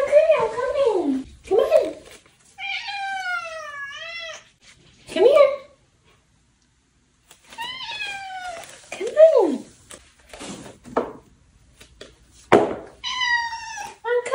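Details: Vocal pet cat on a leash on a late-night walk, meowing repeatedly: long wavering, rising-and-falling meows and shorter descending mews in quick series, broken by pauses and rustling.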